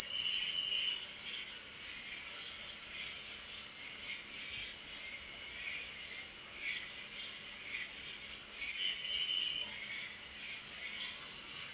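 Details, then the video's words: Crickets at night keep up a continuous piercing trill at a constant high pitch, rapidly pulsing, while quieter intermittent chirps rise and fade beneath it. "Cricket Sound"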